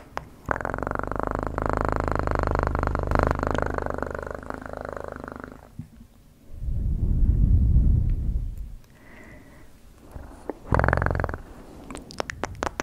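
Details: Domestic cat purr, loud and pulsing for about five seconds, then broken by a deeper snore-like rumble, a brief higher tone and scattered tapping noises.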